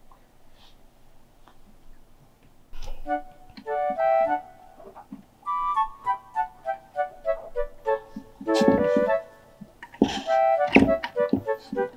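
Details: Keyboard or piano music plays in bouncy repeated notes with some louder knocks and handling noises, and no animal voice is heard.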